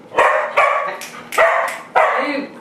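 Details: Pet dogs barking angrily at a broom during play, four loud sharp barks spaced about half a second apart, each with a harsh broadband onset and short tail; a Doberman is among the dogs.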